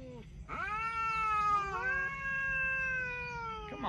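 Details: Talking cat giving a sustained meow that rises at the start, shifts slightly higher midway and holds level for about three seconds before dropping away at the end.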